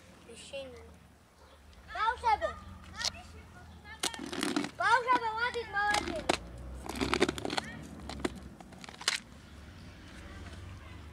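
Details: Several cats from a large colony living by a dumpster and feeding from it, calling in overlapping, wavering meows, two bursts around the second and fifth seconds, with rustling and crinkling between the calls.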